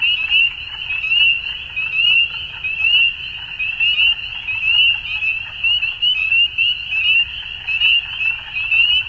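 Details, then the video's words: Spring dusk frog chorus from Ontario, Canada, many callers overlapping in a shrill, unbroken high trill, the loudness rising and dipping in irregular surges about every second. "Frog Sounds At Dusk"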